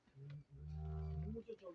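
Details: Friesian cow offered for sale in Pakistan gives a low, steady, droning moo lasting about a second after a short grunt, ending with brief softer sounds.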